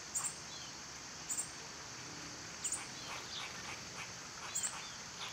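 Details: Summer cicada chorus: a constant high, hissing buzz fills the background while short paired bird chirps come about every second and a half.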